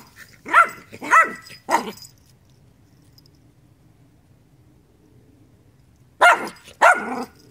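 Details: Dog giving three quick sharp barks, then about four seconds of quiet before two more loud, ringing barks close together.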